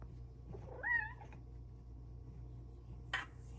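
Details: Female Silver Bengal cat meowing at her human from her petting shelf: a single wavering, bending meow of about half a second, then quiet room hum and one brief sharp click near the end.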